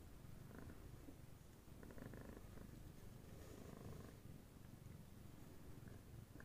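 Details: Purring Somali cat, a black silver mother grooming and cuddling her three young female kittens as they nap; continuous low rhythmic rumble with soft rustles and small clicks over it.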